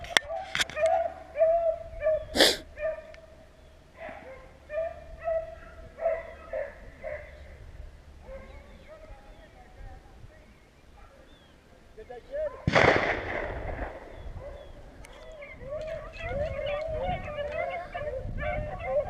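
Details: Beagles baying on a hunt in Vera, Virginia: scattered wavering, mid-pitched howls that fade, then return as a dense chorus. A man talks in between, with a loud snort and handling noises.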